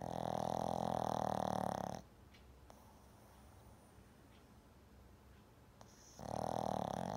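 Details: Loud, rasping snores from Jam, a pet Shih Tzu sleeping indoors: a two-second snore, about four seconds of near silence with faint small clicks, then the next buzzing snore begins.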